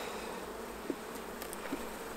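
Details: Even, low buzzing of honey bees around hives at honey harvest time, with two brief soft taps over the steady drone.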